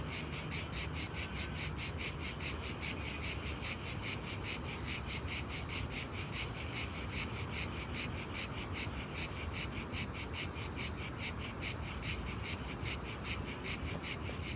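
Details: A cricket chirps unusually loudly in the daytime, a steady shrill, high, ringing pulse repeated several times each second without a break from start to finish.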